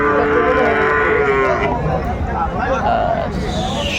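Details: Sahiwal bull calves at Aftabganj cattle market, Bangladesh, on Saturday 29 December 2024. A drawn-out harmonic moo for about a second and a half, then fainter overlapping calls amid steady market crowd noise.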